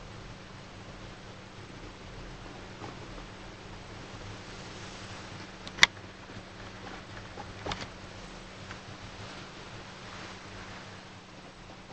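Quiet indoor hiss with a steady low hum, broken by one sharp click and a few soft taps.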